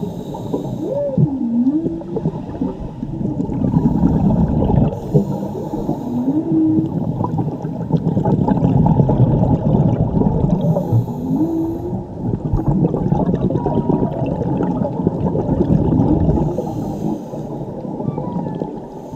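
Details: Whale song said to be from a mother and her calf, recorded diving in Mexico (Cabo Pulmo/La Paz): drawn-out low moans and gliding tones swooping up and down over a steady underwater rumble and faint gurgling.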